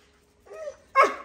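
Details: Domestic hunting dog barking as it comes out to meet another dog: a soft, whiny harmonic note is followed by one loud, sharp bark.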